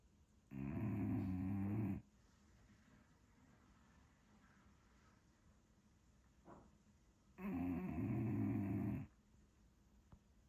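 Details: Sleeping English Bulldog snoring: two long raspy, rumbling inhalations about seven seconds apart, each roughly a second and a half, with soft breathing and faint rustles between.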